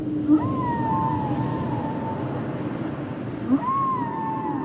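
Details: Humpback whale singing two long drawn-out tonal wails that slide up, then hold and slowly fall, each with a brief low grunt before it, over ocean rumble.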